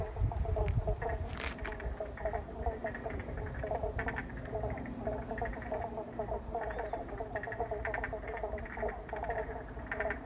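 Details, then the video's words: Wetland frog chorus at Paringa Paddock National Park, South Australia, after water release, captured by iPhone; steady overlapping trills and pulsed croaks from many callers, a brief thin whistle overhead and a low background rumble. "Frogs In Paringa Paddock"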